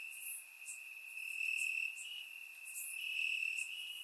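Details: Warm summer night in Bulgaria with crickets chirping in the grass, surround microphone: a sustained piercing trill, gently swelling twice, and scattered higher chirps above it.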